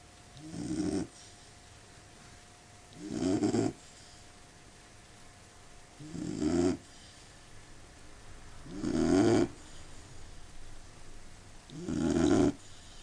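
A sleeping Labrador Retriever gives slow, throaty snores, each a rough, rattling breath lasting about a second. The snores repeat steadily every three seconds or so over a quiet background.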